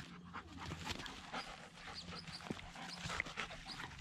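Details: Dog Zooka in a play session with a much larger dog, Willy, week 13: rapid harsh panting breaths and scrambling sounds, with small high squeaky notes here and there and a steady low hum underneath.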